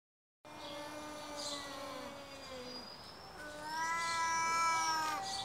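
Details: Two stray cats arguing with each other: long, drawn-out wavering yowls, one low and sliding downward, then a higher, louder strained howl rising and swelling toward the end, with harmonics stacked above.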